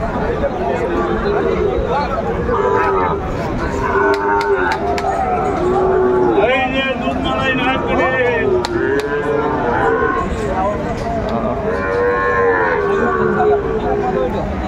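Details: Sahiwal bulls at a cattle market on 16 April 2024, where traders buy to resell on the spot: arched, tonal lowing calls recur every second or two amid steady crowd chatter and bargaining voices.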